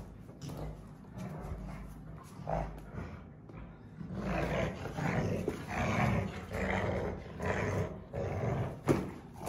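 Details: Two Rottweiler sisters playing tug-of-war, growling; rough, low rumbling growls in uneven bursts, building louder from mid-clip with scuffling noise throughout.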